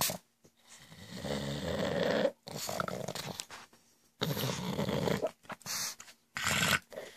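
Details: Pet pug indoors giving goblin-like noises: long rasping snorts and low growls lasting one to two seconds each, separated by brief silences.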